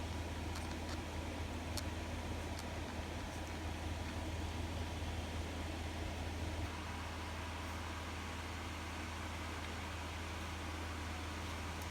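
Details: Broad mechanical noise, like a fan or running engine, drones throughout with a low rumble that eases slightly midway and no animal calls.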